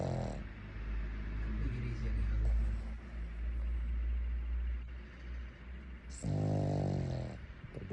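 A Boston Terrier snores in low, rasping rumbles with a buzzy breath-driven texture.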